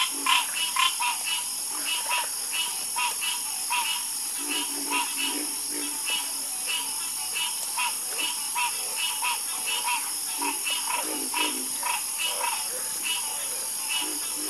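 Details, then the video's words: Harmonious frog croaking in a soothing chorus, many overlapping rhythmic calls, some low and throaty, others higher and rattling, continuing without pause over a steady high background hiss. "Calming Sound Of Harmonious Frog Croaking"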